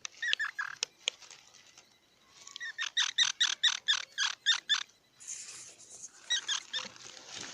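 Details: Squirrel chattering: a fast, even series of about ten harsh pulsed notes, with scattered clicks before and a hissy, noisy stretch afterward.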